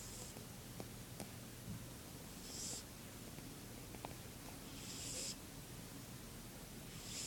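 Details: Mother cat snoring quietly: soft, airy hiss-like breaths recur about every two and a half seconds, over a faint, steady low rumble with no other clear sounds.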